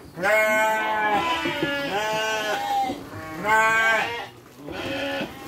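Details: Farm sheep being fed dry fodder alongside children give repeated loud quavering bleats, four or so in close succession, each about a second long, some overlapping from different animals.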